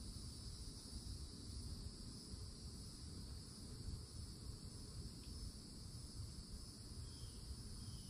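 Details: A summer cicada chorus at a Florida forest edge rings as a level, piercing high buzz with no breaks, over a dense low rumble and a brief faint chirp near the end.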